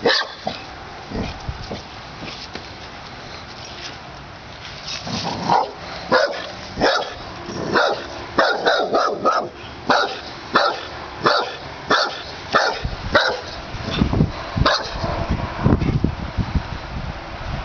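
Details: Pit Bull in the yard barking at a snapping turtle it does not welcome: quieter at first, then a rapid, fairly regular volley of about ninety-some barks a minute, sharp and forceful.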